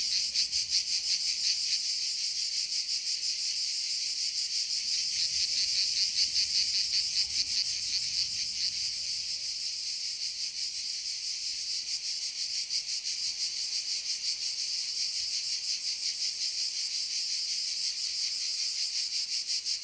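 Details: Chorus of several cicadas in woodland, a steady shrill hiss held throughout with a fine rapid pulsing texture and no pauses.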